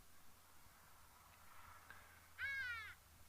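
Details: A collared cheetah, seemingly leader of three recently brought to a reserve, gives one brief squeaky bird-like contact call dipping slightly in pitch, over a quiet low hum, signalling the other two to follow.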